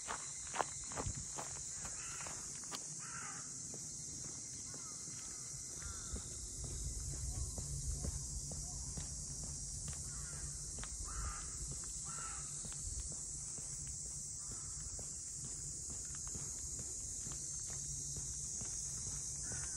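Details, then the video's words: Cicadas in the Ine no Funaya port house townscape, north of Kyoto, Japan: a steady high, hissing drone runs unbroken throughout, while footsteps on pavement tap along beneath it and a faint voice is heard. "cicadas voice"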